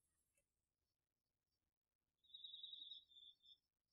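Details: Cricket among the autumn insects chorusing in a home garden field at night, recorded with a DR-40X. A single steady, finely pulsed high trill lasts just over a second, with a few faint high ticks over a quiet background.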